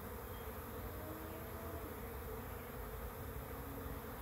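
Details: Bees swarming as they reach a swarm trap, producing a thick continuous hum, low and level, with a few faint passing higher tones within the drone.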